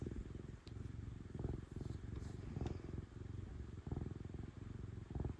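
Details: Affectionate female house cat enjoying being stroked, purring loudly; deep continuous rumble broken into breath-paced pulses about every second, with light brushing and rustling noises above it.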